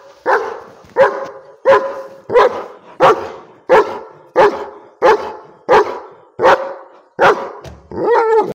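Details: A German Shepherd on the street barks at a street dog in a steady run of deep, gruff barks, about one every three-quarters of a second.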